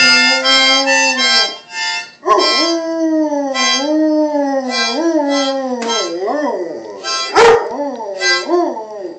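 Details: Pet dog howling along to a harmonica: wavering, sliding howls rise and fall beneath steady, reedy harmonica chords played in short pulses, with one sharp knock near the end.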